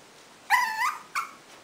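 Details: A 5-month-old Pomeranian answers "do you want to eat?" (asked in Italian) with a high, whiny two-part vocalization meant as "yes", the first part sliding up and down and the second brief.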